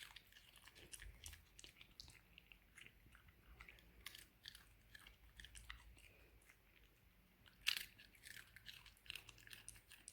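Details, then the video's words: Female Shiba Inu eating at the end of 2020, making loud, strange eating noises: soft, irregular crunching and chewing clicks in a small indoor room, with one sharper, louder crunch near the end. "strangest & loudest eating Shiba Inu ;-) funny eyes, funny noises"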